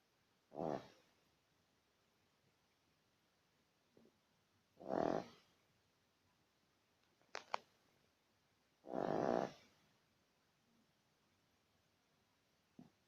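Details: Snoring badger with three rasping, breathy snores spaced about four seconds apart, each lasting under a second, with a few faint clicks and soft rustles between them.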